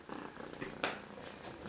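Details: Soft, rapid pulsing purr from Siberian kittens, two silver girls of litter X at two and three weeks old, continuous through a short indoor moment with one sharp rustle midway.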